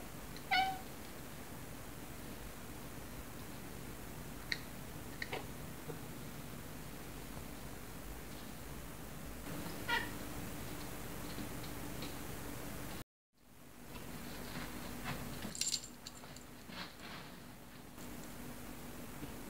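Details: Black silver shaded male Scottish Straight cat, indoors, a pet that likes talking and hunting; gives a short harmonic meow at the start and another near ten seconds, with scattered knocks, rustling and a brief silent gap.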